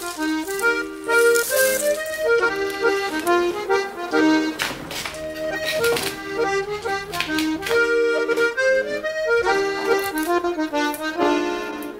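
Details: Lively accordion music playing throughout, with no animal sound.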